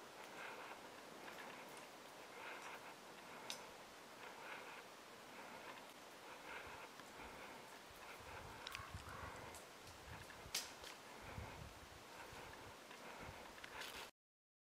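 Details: Douglas squirrel perched on a branch in Northwestern California dismantles a cone to eat the seeds, making dry crunching clicks and scratchy snaps in irregular bursts.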